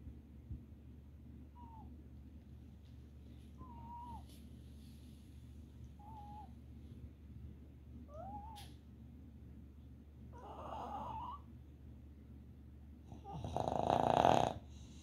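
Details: A red Boston Terrier, sleeping and dreaming as commonly happens, gives soft, high whimpers every couple of seconds, ending in a louder muffled yelp.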